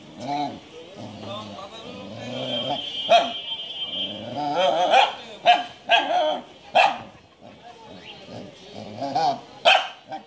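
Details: Repeated clipped barks from a Japanese Shiba Inu, about eight spread over several seconds in an irregular series, mixed with ongoing human speech.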